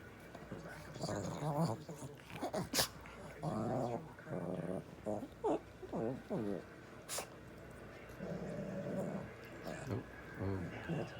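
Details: Pet Labrador Retriever 'talking' in a run of wavering, moaning vocal bursts that bend up and down in pitch, several in quick succession, then a longer low grumble near the end, with human speech nearby.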